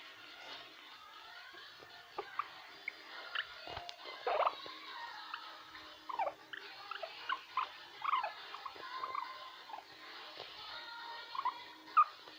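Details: A guinea pig (Cavia porcellus) gives a run of short, squeaky chirps and trilling "krrrr" notes, with background music playing.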